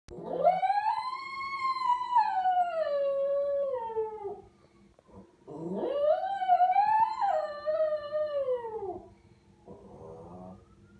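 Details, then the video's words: A male Lhasa Apso gives two long, wavering howls that rise and then slide downward, imitating a passing ambulance siren. "Dog barks at ambulance"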